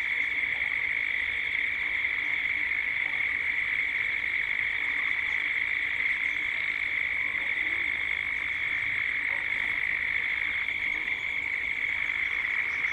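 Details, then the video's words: Cicadas droning at dusk in Gippsland, Australia, a constant shrill buzz holding steady throughout, with faint scattered background calls from other creatures beneath it. "Cicadas at dusk"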